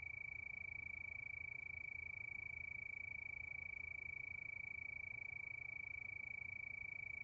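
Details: Crickets at night under the moon, giving a steady, high, rapidly pulsing trill that runs unbroken and very even throughout, with a faint low rumble underneath.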